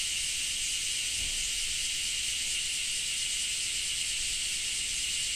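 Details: Cicadas recorded in Japan: a steady, unbroken high hiss-like drone with two bright bands, one lower and one higher, holding level throughout with no clear pauses.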